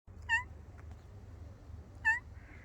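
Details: Brown and white female cat giving two short, high, clear calls about two seconds apart, each slightly rising then falling, over a quiet low background hum.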